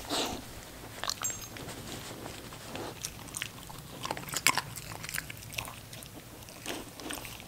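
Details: Female English Cocker Spaniel puppy Ginger eating. Crisp, scattered crunches and bites come every second or so over a low steady hum, with a brief louder burst of crunching midway.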